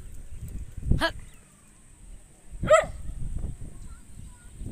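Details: A dog gives two short, sharp barks about two seconds apart, the second louder and more ringing, over a low rumbling background with faint thuds.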